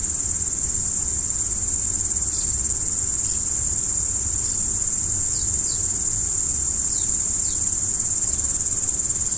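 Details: Crickets calling at night make an unbroken, thin, very high buzzing trill, with scattered faint downward-sliding ticks heard now and then.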